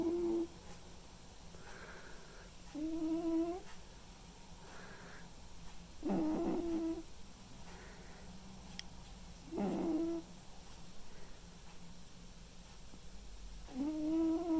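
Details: Snoring from a white and ginger male cat asleep indoors: rasping, slightly whistled breaths repeat about every three to four seconds, alternating louder and softer, with a faint low hum beneath.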